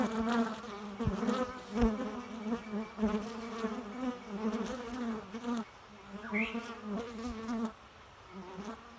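A bee buzzes steadily at close range, a low droning hum that swells and fades.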